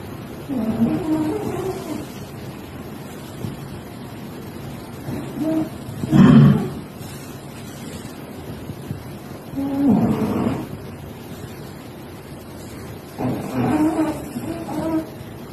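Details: Domestic cat snoring: low, rough, rasping breaths at about four-second intervals, each a short throaty snore, with quiet gaps between them.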